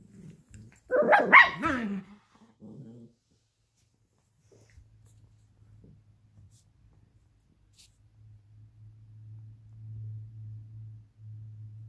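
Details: Two pet dogs, Luigi, a 12-week-old Alaskan Klee Kai cross Pomeranian puppy, and Pooki, a 7-year-old American Eskimo cross Chihuahua, fighting over a toy fox; a two-second burst of harsh, rough barking and growling, then a low steady hum.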